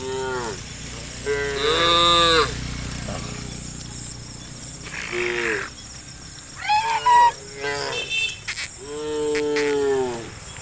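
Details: Tame cattle, hundreds strong, running through interior roads of a village forest; many overlapping moos of varied pitch, some rising and cracking, with bursts of noise, steady insect hiss in the background.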